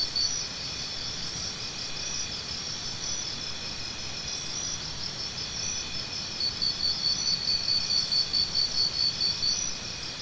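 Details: A constant high insect chorus suggested for tinnitus relief, with a nearby cricket starting a steady series of sharp chirps near the end, around two per second.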